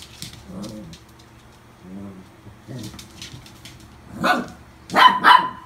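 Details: Newly adopted toy poodle, recorded 24 August 2018, gives soft murmuring sounds before a burst of three sharp, loud barks near the end, with faint indoor background noise.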